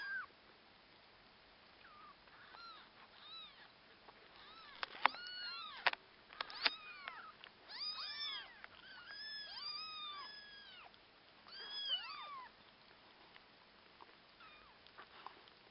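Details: A chorus of orphaned kittens mewing, with dense overlapping arched calls in the middle and some clicks and knocks, as the husky puppy Akasha helps with them.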